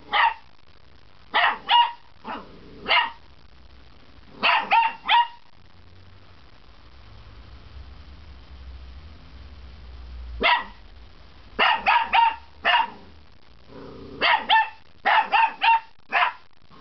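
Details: First barks of a puppy: repeated high, sharp yaps in short groups of two to four, with a lull and a low background hum midway before a faster run of barking resumes.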